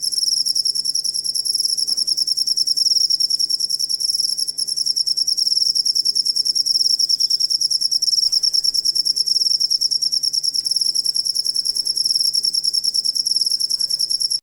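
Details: Cricket sound used as master audio to train songbirds: a steady, shrill, high-pitched trill of very rapid pulses runs unbroken throughout, with a faint low hum beneath.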